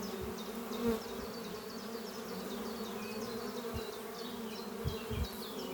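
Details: Spring morning at the honey bee hive Doppio under some trees, workers flying in and out carrying pollen. Continuous low buzzing hum with a few louder passes, while a small bird chirps rapidly and repeatedly in the background.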